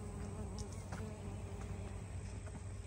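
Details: Metallic green orchid bees, originally from Costa Rica and established a few decades ago, collecting pollen at the Butterfly Garden of Crocodile Lake National Wildlife Refuge, North Key Largo, Florida Keys; a steady low droning hum with layered overtones, unbroken throughout, faint ticks above.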